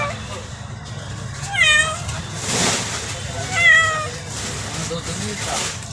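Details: Domestic kitten giving two short, wavering meows about two seconds apart, while people talk in Hindi nearby.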